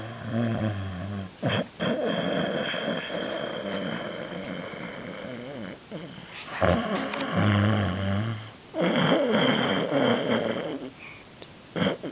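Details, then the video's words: Canadian Sphynx cat fast asleep and snoring loudly, low rasping growl-like snores in long uneven bursts separated by brief pauses, strongest around the middle and final third, with a faint room background. "Кот храпит как пьяный старый конь!"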